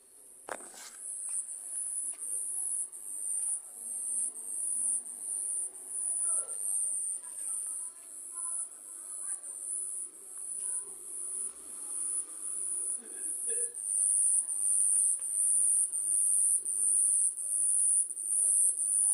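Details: Night cricket near a home producing a shrill, high trill that pulses in rapid surges and grows louder toward the end, with scattered soft knocks and rustles in the background.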